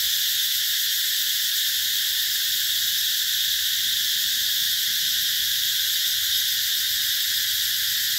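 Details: Cicadas shrill nonstop in the lush garden of Mỹ Luôn, Mekong Delta, Vietnam, during summer 2021. The sound is a uniform, sizzling high-pitched buzz that never pauses or changes in loudness.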